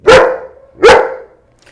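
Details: Nervous young male German Shepherd, nine months old and intact, barking at a trainer while his owner approaches; two separate sharp barks nearly a second apart, each quickly fading, less intense and less repetitive than before.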